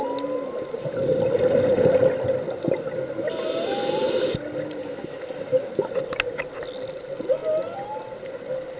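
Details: Humpback whale song recorded on a scuba dive off Oahu, Hawaii, where a shark was also seen: rising, swooping moans repeat over a steady underwater hum and the diver's breathing bubbles.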